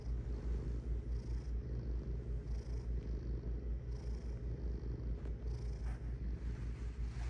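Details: Steady cat purr, low and rumbling, with even pulses coming about two and a half times a second and soft brushing noises at intervals.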